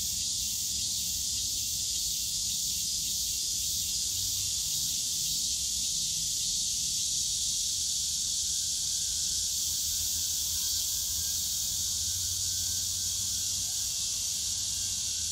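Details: Long, steady high-pitched buzzing of cicadas filling a summer afternoon in Yongsan Family Park's bamboo forest, constant in loudness, with faint low rumbling park noise in the background.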